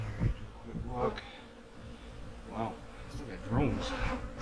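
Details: Autumn honey bee hive being checked ahead of winter: a low buzzing hum runs throughout, broken by several short rising bursts of a man's speech and light handling noises.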